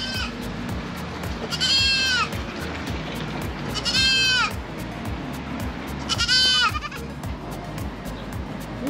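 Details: Goats kept for sale at Chatuchak Weekend Market in Bangkok, Thailand, one a baby goat; three loud wavering bleats with rich stacked harmonics come about two seconds apart over steady market hum and a rhythmic background beat.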